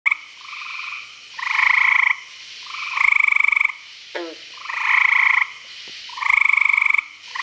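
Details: Frogs calling at night at a pond in Virginia: loud, pulsed, trilling calls about a second long, banded and buzzy, repeating in overlapping bouts with short gaps; a brief chirp from another caller midway.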